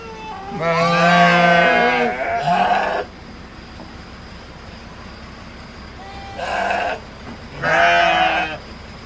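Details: Garut sheep in a pen, giving two long quavering bleats with rich harmonics, the first around one to three seconds and the second near eight seconds, plus a shorter bleat at six and a half seconds; low background hum between calls.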